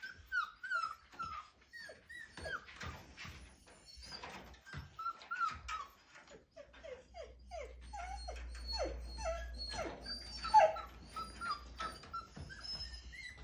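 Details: Five-week-old Siberian Husky puppy attempting a howl inside a small room: a long run of high, wavering whimpers and little yips, many dropping in pitch, repeated rapidly, with a low steady hum underneath in the second half.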